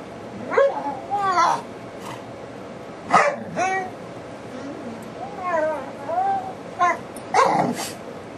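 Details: Pet dog DaVinci making funny sounds: a run of expressive whines and yowls that swoop up and down in pitch, coming in short bursts about every second or two with quiet gaps between.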